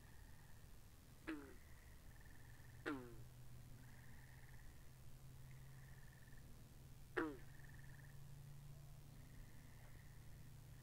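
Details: Frogs calling by a pond in a binaural recording: three sharp, falling, rattling croaks, two close together and one later, stand out above a bed of soft buzzing trills and a steady low hum.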